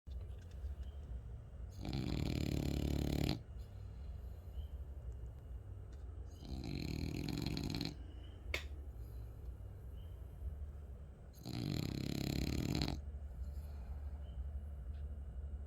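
A French bulldog snores in loud, rasping breaths, each lasting a second or two.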